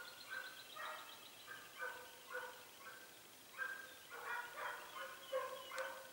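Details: Hare hunt with Segugio Italiano scenthounds (Pelo Raso and Pelo Forte) near Sofiko in Greece's Evros region, 18 October 2015. Far-off hounds give a steady run of baying yelps, each lasting about half a second with short gaps between.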